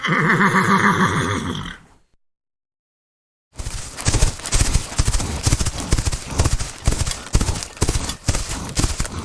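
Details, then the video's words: Horse gives a quavering, vibrating neigh lasting nearly two seconds, then a pause, then rapid rhythmic hoofbeats of a galloping horse pounding steadily to the end. "horses sounds"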